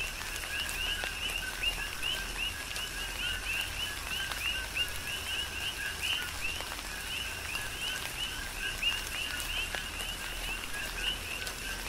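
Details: Dense chorus of coqui frogs in tropical rain on Hawaii's Big Island, countless short two-note whistles with an upward sweep overlapping without pause, backed by steady rainfall and occasional drop impacts.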